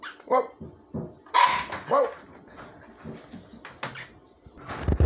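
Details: Siberian Husky puppies, seven weeks old, give short, high yelping barks, several spaced about half a second to a second apart, among indoor thumps and clatter.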